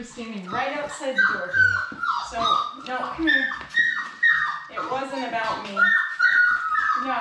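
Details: Labrador Retriever puppies, a litter of four born March 11, 2021, indoors in their play room: high, thin whines and squeals come in short rising-and-falling bursts, overlapping one another, while people talk nearby.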